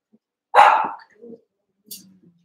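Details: One-month-old Cavalier King Charles Spaniel puppy wrestling and playing with littermates in a pen. One short, sharp bark, then a fainter low yip and a soft rustle.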